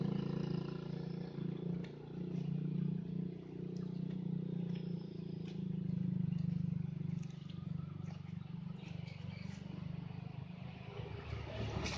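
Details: A steady low droning hum, like a distant engine or wind, fills the recording. Faint rustling and scattered clicks sit on top, but no clear animal voice stands out.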